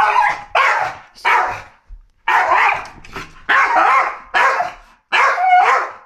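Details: Male Staffordshire Bull Terrier barking at Gandalf: loud, harsh barks in a steady run of about eight, roughly one every 0.7 seconds, with a brief pause after the third.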